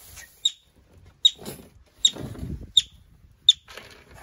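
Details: Yellow-bellied marmot arriving at a wildlife recovery centre: five sharp, high chirps spaced about three-quarters of a second apart, each a short piercing note, over a faint background of low rustling.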